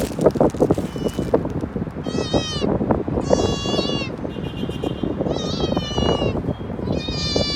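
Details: Kitten and its mother, street cats outdoors: four high, harmonic meows of about half a second each, spaced roughly a second apart, over steady street and traffic noise.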